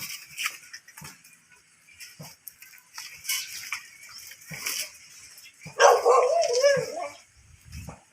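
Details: Mostly quiet scuffling, then a miniature dachshund lets out a longer wavering whine or yelp near the end. Recorded during mating at Baybay Lopez, Binmaley, Pangasinan.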